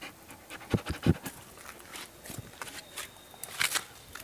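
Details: German Shepherd named Sarah, six months old, during obedience play with a ball: rapid rhythmic panting breaths in short bursts, with soft scratching and a few sharper taps, while a person gives commands in Portuguese.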